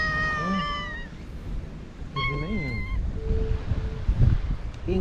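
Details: Stray Japanese cat in a park just after a typhoon, among a colony that shelters in a house under a boat; two drawn-out, harmonic meows, the second wavering, with a woman talking softly to the cats and low background rumble.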